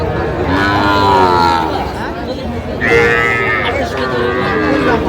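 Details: Lowing of Sahiwal breed bull calves at the Aftabganj market, 16 August 2025, during sales to Dhaka farmers. One sustained moo, then a second, brighter call shortly after, with crowd murmur and a man's voice underneath.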